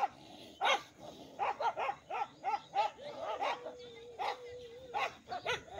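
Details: Village dogs, two groups fighting, bark in a rapid burst of sharp, harsh yaps roughly every third of a second, with a long whining tone woven through the middle and end.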